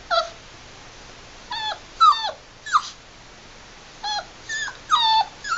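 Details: Seven-week-old Labrador Retriever puppy at play, giving short high squeaky yips and whimpers in small bursts of one to three notes, each bending downward, spaced irregularly over a faint steady background hiss.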